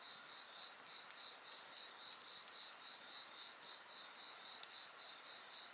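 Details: Rapid, regular high-pitched insect pulses layered over continuous ringing tones, an unbroken chorus with faint campfire crackle beneath.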